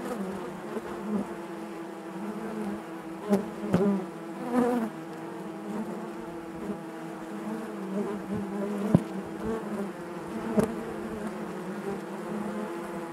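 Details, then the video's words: Bees droning inside their hive: a constant layered buzz, with a few quick clicks and short louder bursts as individual insects move past. "bees therapy hive natural buzzing sound"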